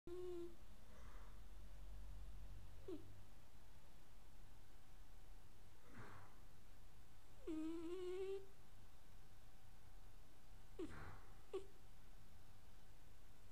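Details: Sleeping Sphynx cat snoring indoors: quiet, low breathy snores return every few seconds, some with short whistly nasal tones that bend upward, over a steady low room hum.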